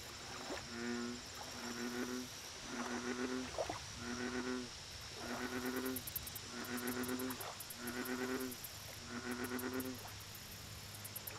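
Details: American bullfrog calling at a lake: a run of eight deep, buzzy, harmonic croaks, each under a second long, spaced about every second and a quarter, over steady insect trilling and a constant high hum.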